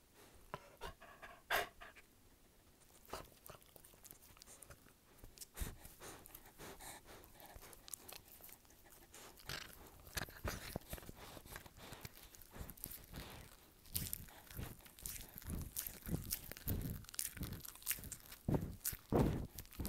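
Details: Dog chewing in close-up ASMR style: irregular wet crunches and clicks, sparse at first and denser in the second half, with soft panting breaths between bites in a quiet indoor space.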